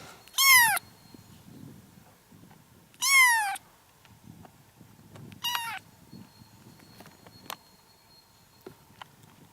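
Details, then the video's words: Kittens from a litter of seven calling: three short, bright meows spaced a few seconds apart, the last briefer and fainter, over a soft background hum. "7 隻小貓同時喵喵叫"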